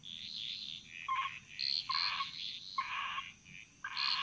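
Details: Frogs chorusing through a Bali jungle, loud rasping croaks overlapping, several carrying a deeper nasal note beneath the harsh upper tone, bursts arriving every half second or so over a constant thin high hum.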